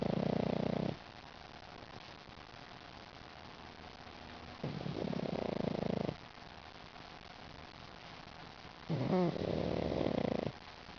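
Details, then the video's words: Lil Mac, a smiling pug, sleeps and snores indoors: three long, rough, throaty snoring breaths come about every four seconds, each lasting over a second, separated by near silence in a quiet room. "Lil Mac snoring"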